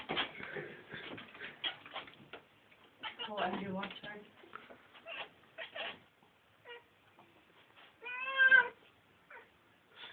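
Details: Pet cats indoors trying to catch a fly, with a short harmonic meow near the end; a person talks through most of the recording.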